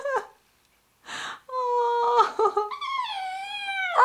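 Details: Daisy, a female Labrador puppy a day into her new home, sings along indoors with her owner. She gives drawn-out, wavering howls with rich harmonics, broken by short gaps, and a human voice joins in.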